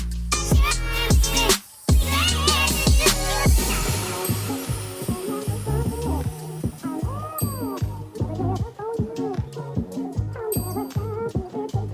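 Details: Electronic music with heavy bass beats, scratching effects and sliding synth tones fills the whole stretch, with no animal sound.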